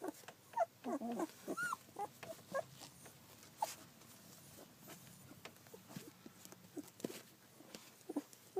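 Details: Collie puppies fourteen days old, filmed 9 July 2012, give soft scattered whimpers and squeaks, short high mewing notes rising and falling amid faint rustling and low background hum.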